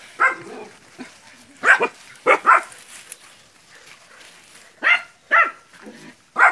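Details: Young dogs confronting a water buffalo while training in West Sumatra, Indonesia; a few scattered sharp barks in small bursts separated by longer quiet stretches.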